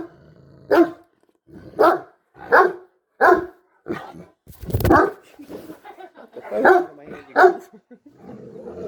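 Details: Great Dane barking at the person filming after strange hippo-like noises: irregular deep barks, about seven in nine seconds, with a loud thump midway and soft grumbling between barks, indoors.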